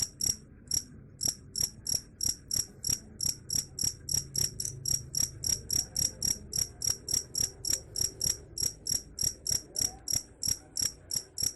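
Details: Long run of cricket chirps, a sound said to chase off rats: crisp high-pitched pulses repeated roughly three to four per second without letup, with faint low background noise.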